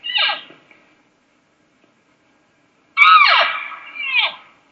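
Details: An excited cow elk (Cervus canadensis) gives a brief mew, then a long, descending whiny lost mew ending in a sharper, demanding note, calling for a response from the herd.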